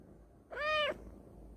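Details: Pet cat meowing in the morning just after waking; one clear, tonal, slightly rising-then-level meow lasting under half a second, with a woman talking to it just before and after.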